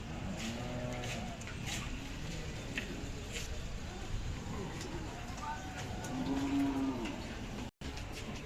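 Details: Young Khillar bulls at a cattle market in Sangola, Solapur district, on 5 May 2024; low, drawn-out moos with arching harmonics rise and fall over a steady background of crowd chatter and market noise.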